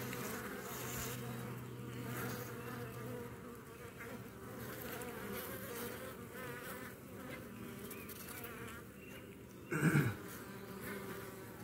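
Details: Honey bee colony buzzing near its hives in Baltimore in the morning while the bees seize, sting and drag off a European hornet queen that dive-bombed the colony; a dense, steady hum fills the recording, with a brief louder bump near the end.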